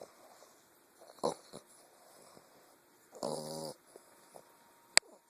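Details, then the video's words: English bulldog puppy asleep, giving two snorting, buzzy snores about two seconds apart, the second longer and tonal, then a sharp click near the end. "English bulldog puppy snoring"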